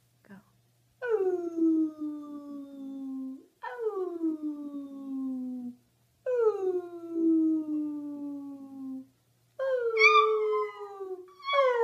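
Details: Puppy howls as four long drawn-out notes, each sliding slowly downward over about two and a half seconds with short pauses between, ending on a higher, brighter wail.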